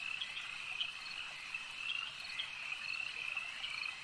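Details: Frogs massed at a lake keep up a steady, high buzzing trill, with a few sharper chirps standing out about every half second.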